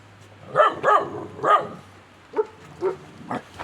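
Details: Kangal puppy beside a tandır oven reacting to its own reflection in a mirror: three quick, high yapping barks in a row, then three softer, spaced yips trailing off.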